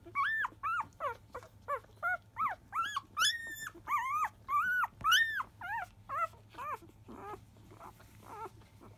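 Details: Five-day-old Labrador Retriever puppy of field lines, born to Biscuit, crying at feeding time; loud, close, high arched squealing whines repeated rapidly, several rising into shrill peaks, fading toward the end.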